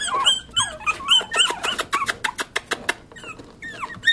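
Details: Several Pomeranian puppies whine and yelp in quick, falling squeals, followed by a rapid series of soft ticking taps, with one more descending whine at the close.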